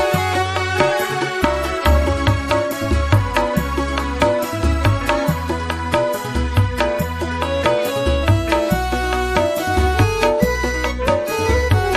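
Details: Rhythmic traditional-style music with steady drum beats and melodic instruments throughout, no animal voices standing out.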